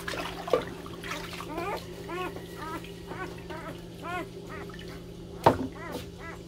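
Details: Puppies compete for attention with loud crying, giving a run of short, arched, whining yelps, roughly a dozen in six seconds, some in quick pairs. A constant low hum runs beneath, and a sharp knock sounds near the end.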